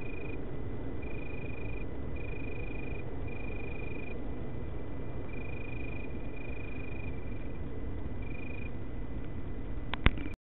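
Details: Male Italian tree crickets sing in Berlin on 24 August 2013: pure, soft trills, each under a second long, repeated after short pauses.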